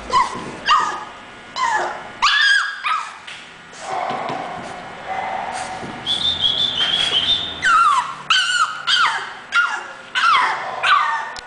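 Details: English bulldog whimpering: a run of high, tonal whines and short yips, some sliding downward, one long wavering whine held mid-clip, about one and a half cries per second over steady background hiss.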